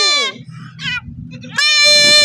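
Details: Male goat bleating while being castrated: a loud, harsh, strongly harmonic bleat opens, then a short quieter bleat, then a long sustained loud bleat at the end, with low background hum between.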